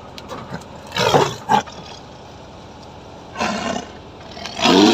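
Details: Full-grown tiger at last trapped after entering Gosaba, giving harsh, broadband roaring bursts: one near the start, a second pair of short blasts, then two longer roars toward the end, with a quiet hum between.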